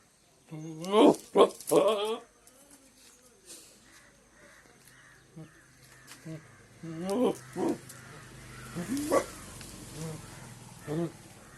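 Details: Goat bleating: loud, wavering, quavering calls in a short burst early on, then quieter scattered bleats and a few more wobbling cries later over faint background noise.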